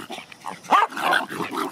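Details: Excited dogs on a car ride to a local park after weeks without one; a single short bark over a muffled jumble of whines and movement.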